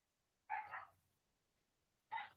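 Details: Neighbour's domestic dogs barking in the background near São José, Brazil: two short, sharp barks about one and a half seconds apart against quiet surroundings.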